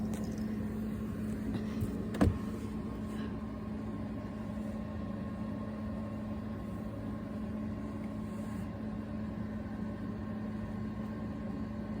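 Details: Steady engine or appliance hum fills a small room, with one sharp click near the start and no animal voice anywhere.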